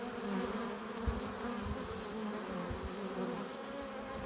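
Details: At a beehive entrance, honey bees returning with nectar and pollen make a quiet, even buzzing, a sustained hum of overlapping wingbeat tones with little change in loudness over the few seconds.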